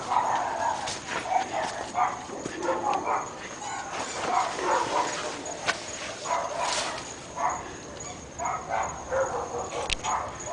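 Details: Repeated barking from a group of three domestic dogs in North Bay Village, a nuisance heard all day. Short, rough barks arrive in clusters across the recording, over a steady high-pitched background tone.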